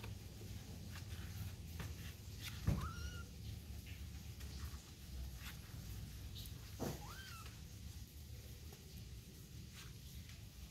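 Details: A kitten with its mother gives two short, thin meows about four seconds apart, each rising then sliding down, over steady low indoor hum and scattered soft clicks.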